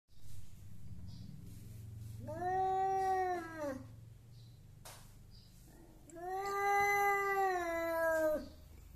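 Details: Angry domestic cat that keeps wanting to fight, giving strange yowls: two long drawn-out wailing howls, each rising then falling, separated by a quiet gap with low background rumble indoors.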